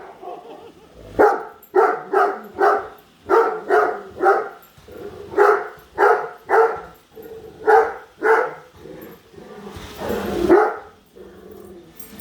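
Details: Padme, a Great Dane, barks persistently at a new Roomba she hates, following it around the house: a string of about twenty deep, loud, irregularly spaced barks, with a burst of louder noise near the end.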